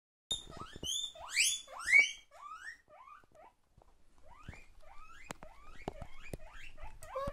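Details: Two demanding pet guinea pigs calling: a burst of loud, high, rising squeals in the first two seconds, then softer repeated upward-sweeping wheeks with occasional sharp clicks continuing to the end.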